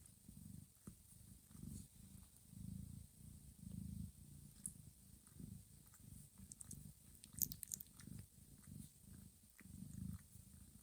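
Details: Domestic cat Johanna, a mother, grooming her sleeping kittens indoors in a quiet, warm room; low rumbling purr in steady pulses, mixed with soft licking and small ticking sounds.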